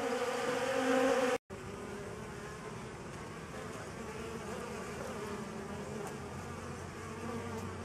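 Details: Honey bees feeding on a homemade pollen substitute: a dense, steady droning hum with a strong low tone, louder for the first second and a half, then a brief dropout before the even buzzing resumes.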